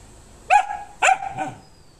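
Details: Female German Shepherd meeting other animals gives two loud, clipped barks about half a second apart, followed by a softer, shorter third bark.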